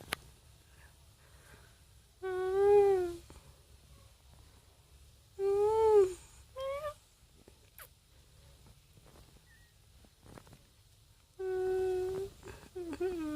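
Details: Domestic cat meowing indoors: four clear, drawn-out tonal meows, each about a second long with rich harmonics and a slight rise-and-fall in pitch, spaced irregularly over thirteen seconds with quiet room tone between.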